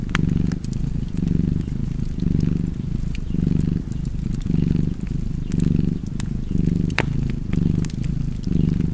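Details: Cozy cat purr next to a crackling fireplace: deep, even rumble rising and falling in breath-paced waves roughly every second, with occasional bright wood snaps above it.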